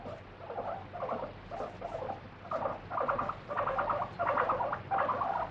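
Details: Indoor free-roaming guinea pig protesting while its body is wiped during a check: continuous chains of piercing, rapidly pulsed squeals, each burst loud and strained, repeated with hardly a break.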